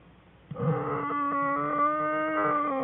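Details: American black bear cub crying loudly in the den on February 21, 2013, curled up with mother Jewel and sibling, Fern and Herbie; one long steady harmonic wail that holds its pitch for over two seconds with a slight drop at the end.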